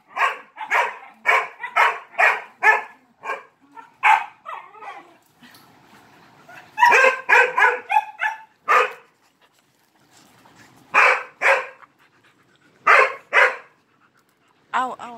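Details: Dog demanding attention during play with three Malinois: a steady string of sharp barks, a softer whimpering stretch, then scattered bark pairs; a tonal voice-like sound closes the clip.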